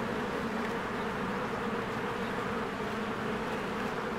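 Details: Swarms of honeybees working at a spring beehive, flying in and out: thick continuous buzzing drone, even in loudness throughout, with layered low humming tones and no other clear sounds.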